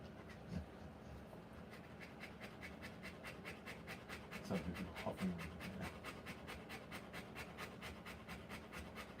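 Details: Rottweiler giving birth to a litter of puppies, panting steadily: quick, breathy huffs repeated more than twice a second throughout, with a soft murmur of human voices midway.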